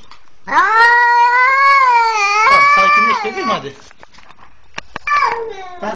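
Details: Cat, rescued as a twenty-day-old kitten from a leashed pitbull's jaws, calling for help: a sustained wavering wail near three seconds long that dips at the end, followed by brief clicks and another falling cry, with a soft soothing human voice.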